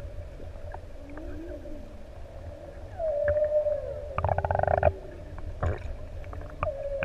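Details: Humpback whales, six adults in the open sea off ʻEua, Tonga, sing as swimmers approach: long, sustained moaning tones with a sliding upsweep and bursts of pulsed, buzzy sound.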